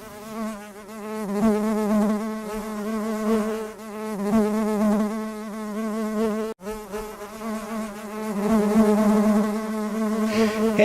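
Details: Honey bees on a cleansing flight on a February day of 34 degrees in the Northeast, the colony still in winter cluster; a steady, droning buzz with rich overtones and wavering pitch, swelling and fading, with one brief dropout midway.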